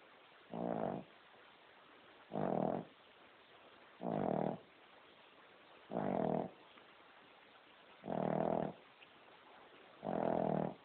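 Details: A pet female King Charles Spaniel sound asleep, snoring loudly: steady rasping snores about every two seconds, each lasting roughly half a second, with quiet pauses between.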